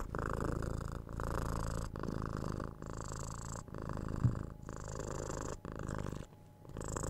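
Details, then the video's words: Domestic cat purring close up, a loud buzzy low rumble in long phrases that break briefly between breaths, with a quieter pause near the end before the purr resumes. "Cute Cat Purring"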